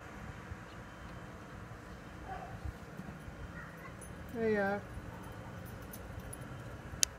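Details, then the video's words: Six-year-old adopted male house cat that comes when called, answering his owner with a short falling meow about four seconds in, with the owner's voice calling him before it and low background hum. "Cat comes when called 10X"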